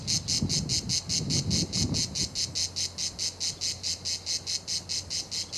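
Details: At La Garoupe on Cap d'Antibes in France, cicadas give a loud buzzing song in even, rhythmic pulses about twice per second, with a brief low rumble at the start.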